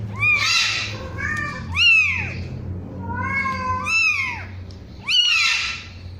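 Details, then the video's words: One-week-old kitten mewing in high, thin arched cries that rise then fall, several overlapping calls about every second, with a low steady hum underneath. "SUARA KUCING USIA 1 MINGGU"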